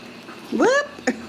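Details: Ragdoll kittens raised in a home cattery in central Kansas, playing and exploring; one kitten gives a short rising-then-falling meow with bright harmonics, followed by a brief click, in a quiet indoor room.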